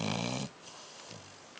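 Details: A dog asleep lets out the tail of a rough, buzzing snore lasting about half a second, followed by quiet room tone and a soft faint breath.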